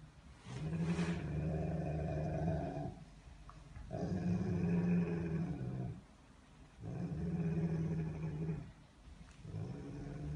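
A Rottweiler growls in low, throaty rumbles, each held for two or three seconds. Short gaps separate the growls, where the dog seems to draw breath before rumbling again.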